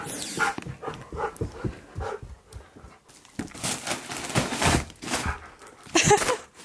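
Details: Key, a Siberian husky, pants as he goes after balloons that had scared him. Quick breathy bursts repeat in short runs with a few brief whimpering tones, while a person talks intermittently nearby.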